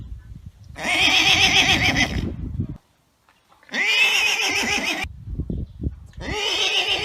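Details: Arabian horse neighing loudly in three strong, rasping, vibrating bursts, each lasting one to one and a half seconds, with short silent or quiet breaks between them.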